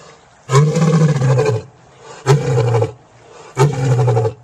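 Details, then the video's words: Lion giving three deep, heavy roars, each about a second long and rumbling low with a harsh upper edge, separated by short pauses; no other sounds intrude. "IL VERSO DEL LEONE"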